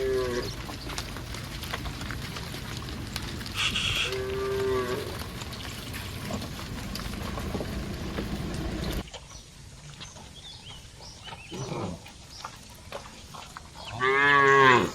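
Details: ['Cattle from a large herd moving toward the barn give scattered moos over steady rumbling background noise. A faint, wavering moo comes early, then a louder, drawn-out moo closes the stretch.']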